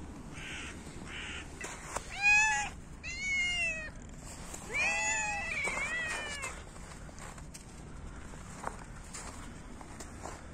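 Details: Hungry cats being fed in winter, meowing loudly as they compete for food: three drawn-out, slightly wavering meows in the middle of the stretch, one with a second cat overlapping, over low background rumble and faint clicks.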